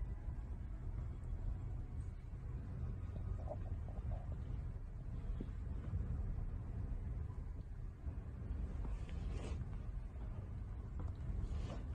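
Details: Quiet, muffled low rumble with faint indistinct room noises runs throughout, and no clear animal voice is heard.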